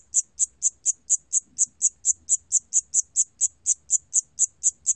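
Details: Rapid piercing chirps from a Siamese cricket, recorded in 2020 by Korea's National Institute of Biological Resources, about four per second in steady succession, with faint low-frequency murmur underneath.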